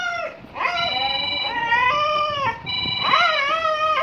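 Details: Siberian Husky at home howling along with a ringing phone: long, wavering, tonal howls that rise and fall, in three drawn-out phrases, with faint steady ringing tones underneath.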